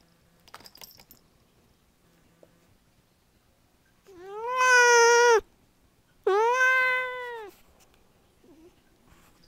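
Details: Kaffir, a pet Siamese cat indoors, complaining about the messy state of a table: two long, drawn-out harmonic meows, each about a second, rising then holding steady and dropping at the end, in a quiet small room.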